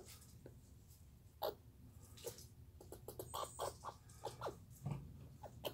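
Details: Chattering Douglas squirrel, 2019: rapid, scratchy notes with a slightly tonal edge, bunched into a quickening run of pulses in the second half over a low steady hum.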